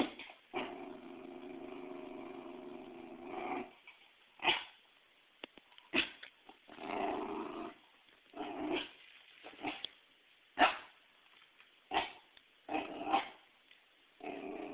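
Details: Pembroke Welsh Corgi bitch that hates volleyballs, shown one brought in for herding practice, growls at length for about three seconds, then fires off a run of short yips and barks roughly every second, mixed with brief grumbles.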